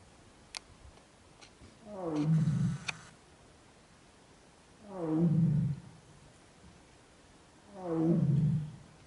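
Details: Bengal tiger mother in Corbett National Park, India, calling her cubs: three deep, moaning roars about three seconds apart, each a falling, harmonic-rich groan with soft clicks between.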